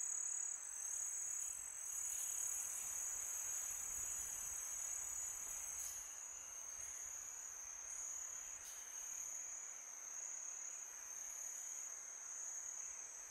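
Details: Crickets chirping through a quiet summer night, an unbroken piercing high trill with faint rapid pulsing, a few brief clicks, and light wind hiss below.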